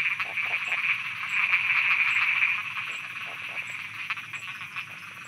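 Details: Frogs croaking at night in Thailand: a dense, continuous chorus of rapid pulsed calls forms a steady high buzz that swells around the middle and then fades slightly, with faint regular ticking above.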